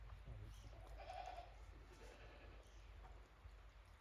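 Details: Farm goats venturing warily onto fresh snow after a heavy snowfall, 28 December 2023, at Yoshigake goat farm; one brief nasal bleat stands out near the start over low rumbling handling noise and faint talk.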